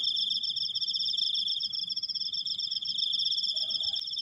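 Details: Cricket trilling in a long, continuous high buzz made of rapid even pulses. A short mid-pitched squeak shows up near the end.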